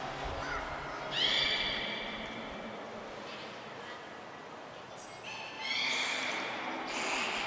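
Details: Beluga at Port of Nagoya Public Aquarium during a training session with the whole group taking part, 16 March 2024: two bursts of high, bright whistled calls with stacked harmonics, one near the start and another after five seconds, over steady background noise.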